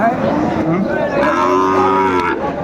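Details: Sahiwal bull calf at a cattle market in Comilla, Bangladesh, 13 August 2024: a drawn-out, low, harmonically rich moo swells through the second half while market voices chatter underneath.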